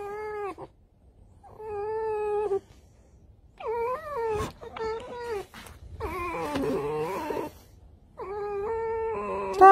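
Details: Red fox being brushed, giving drawn-out harmonic wailing calls in separate bouts, some steady, some wavering and breaking into rough screams, with brief rustling between calls.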